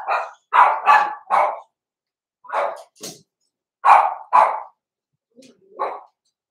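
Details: Blenheim Cavalier King Charles Spaniel puppies, Roman and Blue, born November 14, 2022, indoors in a home puppy pen before Christmas. Sharp, mid-pitched yips come in short bursts of two to three, with pauses between groups and about eight barks in all.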